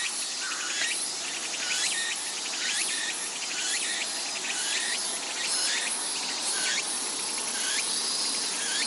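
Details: Sendai in summer, Japan, from Atago Shrine, with cicadas calling: an intense shrill wall of sound, its rising buzzy notes pulsing about once per second, with no other clear sounds.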